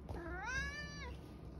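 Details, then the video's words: Domestic cat, 11 years old, meowing loudly indoors near a cupboard, apparently wanting food: one drawn-out meow about 0.7 seconds long, rising then falling, with rich harmonics; low room hum underneath. "Loud meows, Eric is obviously trying to tell me something"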